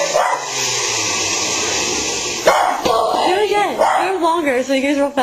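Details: Pug reacting to a running blender: the loud steady whir fills the first half, then wavering, arching whines with clear harmonics rise and fall in several howl-like phrases, with a short break in between.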